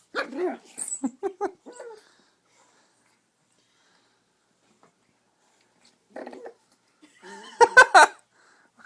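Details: Pug puppy named Chubbs playing with a squeaky toy indoors: a quick run of short, high yapping barks, then quiet, then a few more yips mixed with a shrill toy squeak and a person's voice.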